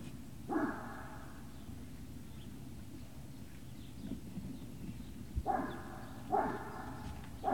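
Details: Great Dane puppies at Puppy Hill, recorded 18 November 2018 in the early afternoon: a short harmonic bark or yelp, then three more after a long pause, over a steady low hum.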